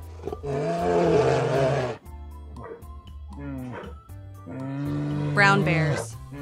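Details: Brown bear (Ursus arctos), roar.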